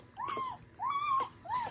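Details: Newborn Dobermann puppies from a spring 2022 litter, indoors: three high whining whimpers, each arched and slightly falling, roughly half a second long and spaced evenly about every 0.6 seconds, with soft background rustling.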